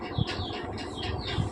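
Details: Persian kittens from Chaki's freshly born litter of five squeak in a steady run of shrill, downward-sliding cries about every half second, over a soft low background hum.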